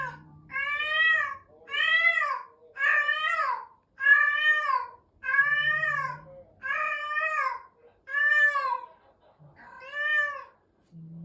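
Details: Adult cat calling while being introduced to a resident cat: eight loud, arched meows at roughly one-second spacing, each swelling and sliding down, with occasional low humming tones in the pauses.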